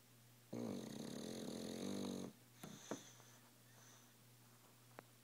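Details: Dog snoring loudly while sleeping indoors: one long rasping, harmonic-rich snore lasting nearly two seconds, followed by quieter breathing and a couple of faint clicks.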